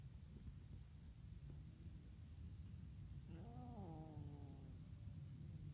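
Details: Abandoned kitten eating alongside a tiny kitten; a single drawn-out meow rises then falls gently, starting about three seconds in and lasting over a second, with clear harmonics above a constant low rumbling background.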